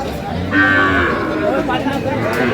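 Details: Sahiwal bull at Aftabganj cattle market, held Saturdays and Tuesdays, bought by a Comilla farmer on 10/5/25; one short, low moo with a steady tone, set against crowd murmur and chatter.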